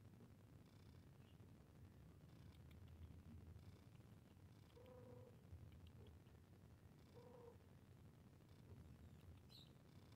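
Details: Cat meowing while playing: two short, soft, tonal meows about two seconds apart near the middle, each with a few harmonics, over a steady low rumble that fills the whole recording, plus faint scattered higher clicks.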